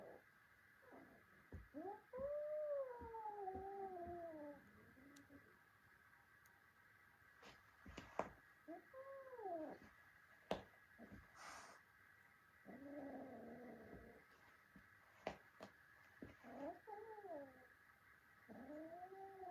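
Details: Fight between a small kitten and its adult brothers: repeated wavering, descending yowls and shorter mewing cries, interspersed with thumps and scuffling clicks, and a person exclaims at the end.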